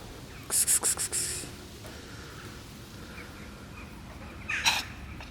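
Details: Black domestic cat coughing: a quick series of about five harsh, broadband hacking bursts in the first second, then a lone sharp burst near the end, over steady low background rumble with faint bird chirps.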